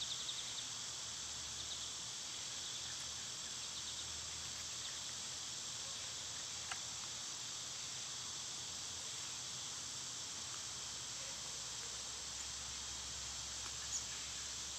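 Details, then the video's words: Summer cicadas, filmed on days they were quietest, fill the scene with a steady, unbroken, high-pitched buzzing drone that holds at an even level for the whole stretch, with only a few faint clicks and ticks in the background. "Cicada sounds"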